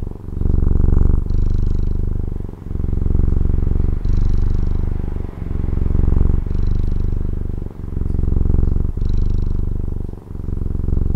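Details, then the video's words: Pet cat in Taiwan purring closely and continuously, a low vibrating drone rising and falling in breath-length waves roughly every 1.3 seconds, with a faint rasp on some inhalations. "Satisfying Cat Purring ASMR | Relaxing Cat Purring Videos"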